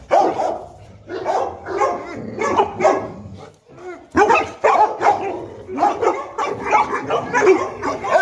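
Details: African Mastiff pair Enzo and Diva, Boerboels living in Egypt, playing; nearly continuous chesty barks and yips, several per second, broken by one brief lull before the barking resumes just as densely.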